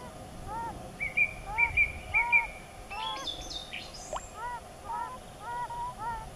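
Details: Several yellow-bellied toads in the mating season trade short, soft, tonal notes in quick alternation, about two per second; a brief higher bird twitter cuts in midway over a quiet background.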